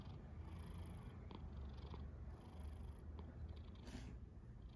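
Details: House cat snoring, slow hissing breaths roughly every one and a half seconds with a low throaty rumble beneath and one sharper snort-like burst near the end.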